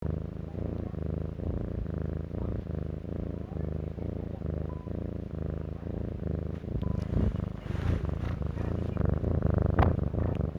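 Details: A large black cat purring: a steady, low, rumbling purr in even pulses throughout, louder and rougher toward the end, with faint rustling.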